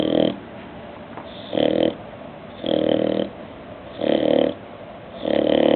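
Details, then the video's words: An awake bulldog snores in loud, rasping bursts, each lasting about half a second, with five of them repeating steadily about every 1.3 seconds and quiet breathing gaps between. "Bulldog Porter Snoring While Awake"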